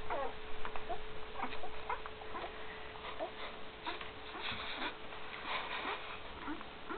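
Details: Great Dane puppies one week old with their mother Gracie, 2012: soft, scattered squeaks and whimpers, short and irregular, over a steady electrical hum indoors.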